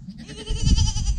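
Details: Newborn goat kid, the first of this year, giving a short quavering bleat with a wavering, tremulous tone that swells after a soft start, over heavy low rumbling background noise.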